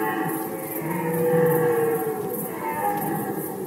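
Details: Rutting red deer recorded in Poland in 2020, one sustained harmonic bellow swelling in the middle and fading, layered over a faint background chorus and a high, regular ticking.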